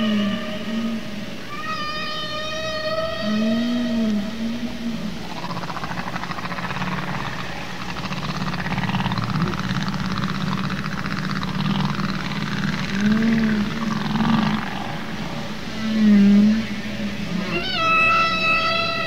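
Humpback whale song: low moans and rising, harmonic-rich wails, sung by males to attract females.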